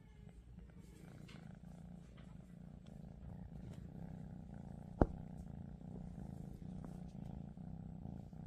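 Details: Lilac female Scottish Straight cat purring: a steady low rumbling drone held throughout, with one sharp click near the middle and faint room sounds.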